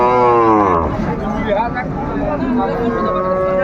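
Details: Cow with calf at Raniganj cattle market in Dinajpur on 29 May 2025 gives a drawn-out, falling moo lasting under a second, followed by busy crowd chatter and market bustle.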